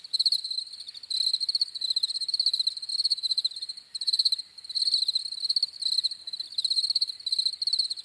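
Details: Crickets chirping: steady high-pitched pulsed trills in bursts lasting about half a second, repeating with short gaps and overlapping callers, a fainter overtone above; no other sounds.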